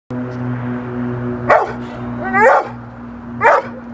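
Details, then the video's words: Rottweiler Foofy in protection training for IGP1 with a helper; three loud, harsh barks spaced about a second apart over a steady low mechanical hum. "Rottweiler protection - Foofy"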